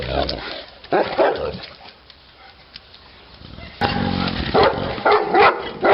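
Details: Neapolitan Mastiff named Titti barking: a pair of gruff barks early on, a quiet pause, then a rapid run of harmonically rich barks at the end.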